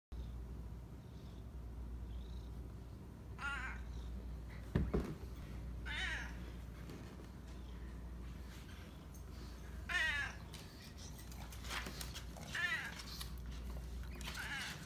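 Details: A talkative male Siamese cat, showing displeasure at being left alone over the weekend, gives loud, drawn-out complaining meows, repeated every couple of seconds.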